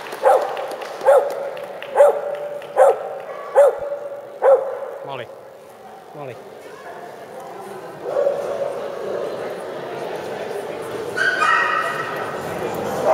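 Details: Ginny, a Soft Coated Wheaten Terrier bitch, at the 2011 Soft Coated Wheaten Terrier Club of Great Britain Championship Show where she won the Bitch CC: six sharp, tonal yapping barks about every 0.8 seconds, then indoor crowd murmur.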